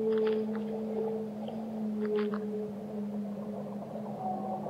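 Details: Whale song: a steady low moan held for several seconds beneath a higher whistled tone that returns and fades, with brief crackling clicks and a constant wash of underwater hiss.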